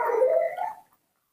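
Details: Pet baby monkey, spoiled and indoors, giving one whiny, wavering cry of under a second that fades into silence.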